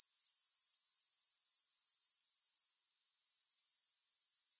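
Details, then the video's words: Grasshoppers, no music: a piercing high trill pulsing about four times a second breaks off abruptly after a few seconds, leaving quiet hiss before the pulsing creeps back in. "Grass Hopper Sounds"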